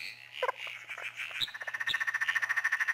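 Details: A southern emerald spotted tree frog (Litoria tyleri, laughing clown frog), told apart from the similar emerald spotted tree frog only by its call, gives a fast rattling run of short nasal notes, about ten a second, after rougher scattered calls and a low steady hum.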